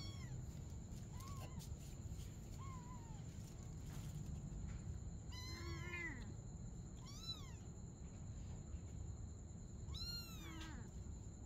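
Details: Playing together at night, a mother cat and kitten trade mews: two small soft ones early, then three loud drawn-out arched meows roughly two seconds apart, set against a steady low rumble and a persistent high electronic whine.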